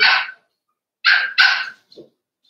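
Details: Cavalier King Charles Spaniel puppies playing in an indoor puppy pen at home, giving three sharp, high yappy barks: one opening bark, then a quick pair after a pause, with a faint short squeak at the end.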